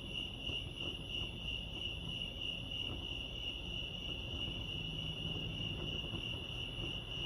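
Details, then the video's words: At Lake Arrowhead, California, crickets keep up a bright, even, high trill with a gently throbbing pulse, set against a murmur of low background noise. "crickets chirping lake arrowhead"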